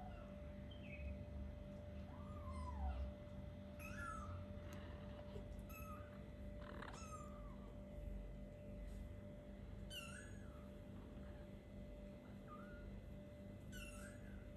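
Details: Playing kittens about four weeks old make scattered short, squeaky meows, some bent and wavering, spread across the stretch with soft bumps and a constant low hum underneath.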